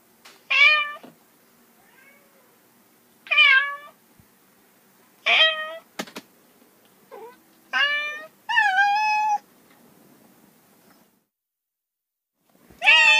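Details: Domestic cats giving a series of short, sharp meows, some rising and falling in pitch, with one longer wavering meow near the middle, brief clicks between calls, and a faint low hum underneath.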